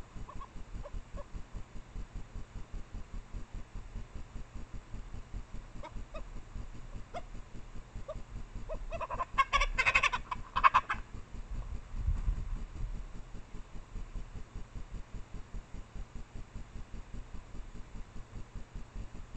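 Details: Japanese badgers (Meles anakuma), a female in heat and a male, mating out of sight near her sett in secondary woods, late April around midnight, trailcam. A harsh, loud yelping burst comes mid-recording after faint short calls, over a steady ticking hum.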